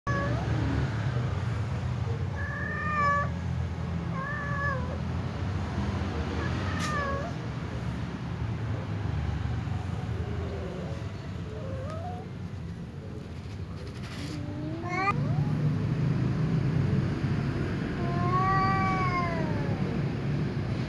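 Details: Ginger tom cat meowing because it is attracted to a white female cat: several short harmonic meows, some rising then falling, spaced irregularly, with a longer drawn-out pair near the end over a steady low traffic rumble.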